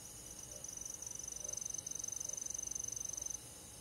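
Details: Cricket on a summer night in the countryside, one high, steady pulsed trill with rapid, even beats running for about three seconds before stopping abruptly. A soft, low background hiss lies underneath.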